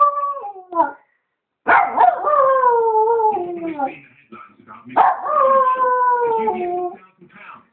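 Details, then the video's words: Pet Yorkshire terrier singing along to a television advert: long, drawn-out howls that start high and slowly fall in pitch, two main howls several seconds long, with short yips and a brief gap between them. "alfie singing go compare"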